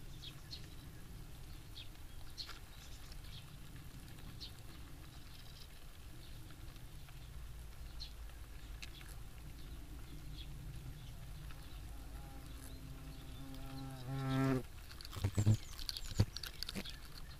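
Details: European hornet (Vespa crabro) active outdoors. Quiet rustling at first, then a rich, low droning buzz swells for about two seconds and ends in sharp knocks and clicks.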